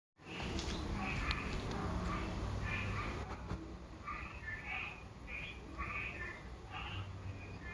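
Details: Unidentified frog calling in a series of short, mid-pitched bursts, roughly two per second, becoming steadier after the first seconds, over a constant low rumble and hiss.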